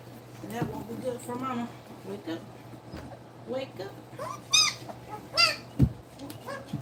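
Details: Two-week-old puppies nursing, a litter with one female and the rest males, give high, rising squeals and whines with bright harmonics in short bursts. The loudest squeals come near the end, and quiet human voices are heard between them.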